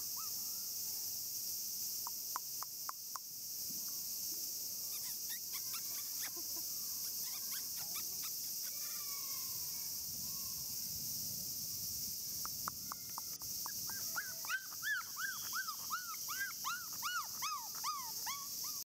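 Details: Male black Shiba puppy aged 34 days, with scattered taps and brief squeaks early, then a quickening burst of high, arched whimpers toward the close, all over a steady hiss.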